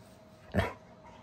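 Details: Bernese Mountain Dog playing with a baby gives one short, deep, gruff bark lasting about a quarter second, with only quiet room noise around it.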